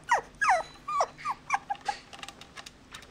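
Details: Puppy whimpering in a run of high, thin, downward-sliding cries, about a dozen in three seconds, growing shorter and softer toward the end, with faint background hiss.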